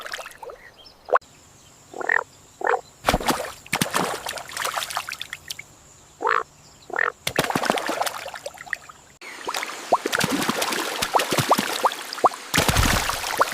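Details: Rare yellow Indian bullfrog calling in nature: short, nasal croaks in separate bursts, several within a few seconds, mixed with sharp broadband clicks and splashy, rustling noise in the second half.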